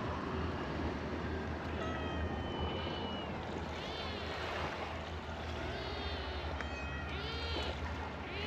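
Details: Cats at a fishing port, among them a black kitten that bites hard while playing. Several rising-and-falling meows stand out over a steady wash of water and a low engine-like hum, with a few human voices in the background.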